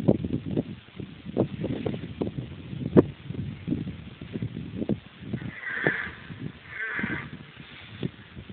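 Red deer giving low, hoarse, bleating calls in a loose, uneven series.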